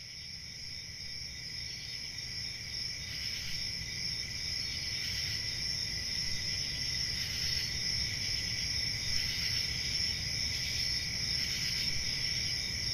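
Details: Country summer night crickets, many insects trilling together in a continuous high-pitched shimmer with faint rhythmic pulses every few seconds, set over a soft low background hum.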